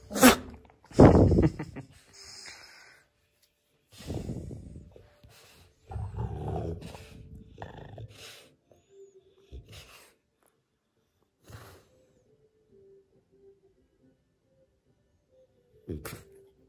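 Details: French Bulldog giving throaty, snuffling grumbles and snorts in irregular bursts, loud at first, then quieter and spaced out by silences, with a faint thin tone heard in the later quiet stretch.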